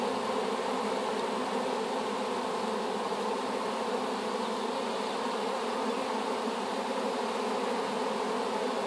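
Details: Freshly hived swarm of honey bees, taken from an apple tree, humming as one steady, thick buzz with several stacked tones, level and unchanging for the whole stretch.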